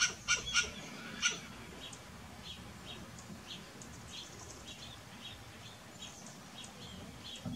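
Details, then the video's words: Short bursts of barking from a western grey squirrel, three or four clipped calls in the first second, then a long stretch of faint chirping and ambient hiss. "Barking western grey squirrel"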